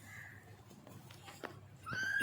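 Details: Oreo, a newborn kitten soon to be adopted, gives a thin high mew that rises and holds at the end, with a faint earlier high note over a quiet indoor hum.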